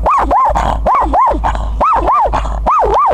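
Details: Shih Tzu barking at highland cows: loud, high yappy barks in quick pairs, about seven in three seconds, each with a sharp rise and fall in pitch, over low background rumble.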